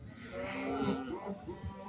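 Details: Small cattle at a market in Bangladesh, being collected for Qurbani sacrifice: a short low, steady moo with a muffled hum and crowd noise from the market.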